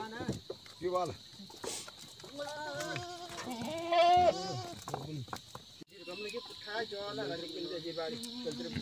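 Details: Himalayan goats in the forest near Munsyari, Pithoragarh, Uttarakhand, India, giving wavering, quavering bleats that rise and fall, mixed with people talking nearby and steady high ringing tones in the background.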